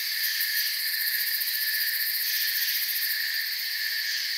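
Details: Soft but steady cricket chirping from a forest, many insects blending into a bright, high, buzzing wall of sound with rapid fluttering in the uppermost tones and no silence between calls.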